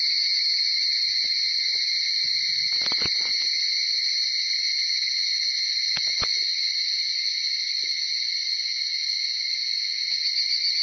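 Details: Dawn chorus of higurashi cicadas, Tanna japonensis, recorded from about 4:30 to past 5:00 in Uda, Nara, Japan; constant shrill two-toned whine, broken by short knocking sounds near three and six seconds.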